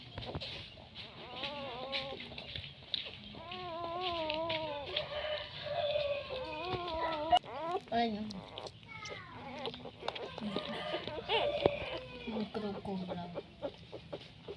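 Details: Litter of nine newborn puppies whining: wavering, high cries rising and falling in pitch, several drawn-out in a row over the first seconds, then shorter squeaks, with people talking nearby throughout.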